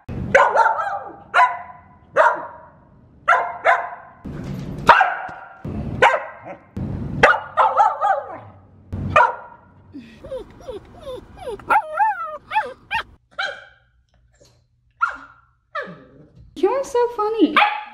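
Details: Aria, a female Samoyed, barking and back-talking: a rapid string of sharp barks, then wavering, yodelling howl-like whines and grumbles, ending with more barks; music plays and a person laughs and speaks.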